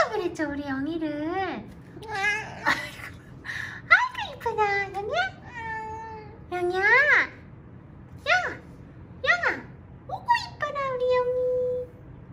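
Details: Weak little kittens found huddled together, rescued on the return from a family funeral. Shrill, arching meows overlap quickly, bending up and then down in pitch. Human speech mixes in, inside a small room.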